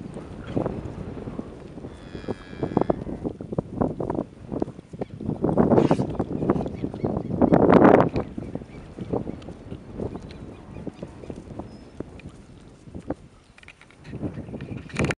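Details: Lowing from a group of Angus, Brangus and Red Brangus heifers: deep, drawn-out moos, loudest around six and eight seconds, over constant hoof and body noise, with a short tonal hum near two seconds and light wind.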